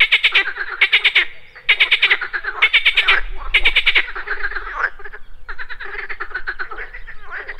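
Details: At a pond in the morning, frogs produce rattling, pulsed croaks in quick bursts about every second, several calls overlapping, the chorus growing softer and more scattered toward the end.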